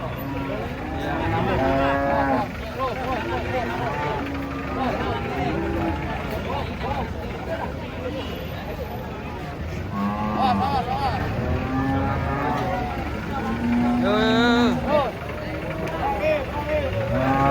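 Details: Large cattle unloading from a truck call repeatedly in short, wavering lowing bursts that overlap one another, mixed with people talking and engine rumble throughout.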